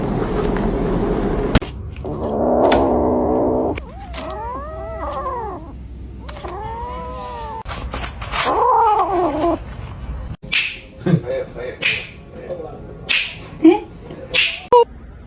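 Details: Domestic cat giving a run of drawn-out, wavering meows, several rising then falling in pitch with rich overtones. They come in three or four separate bursts, with other short clattering sounds and background noise before and after.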